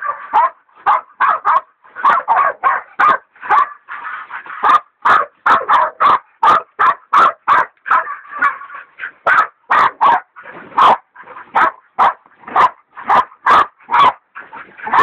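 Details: Dixie and Dollie, hog dogs with Dollie a leopard dog in training, hold a big sow hog at bay with a continuous run of sharp barks, fast and relentless, voices overlapping at times.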